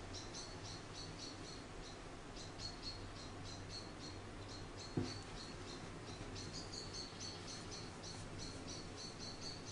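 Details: Almost continuous strings of quick, thin chirps come from Charlie, an orphaned baby grey squirrel hand-reared after being found cold and hungry beneath a garden nest; a single knock sounds midway over faint background hum.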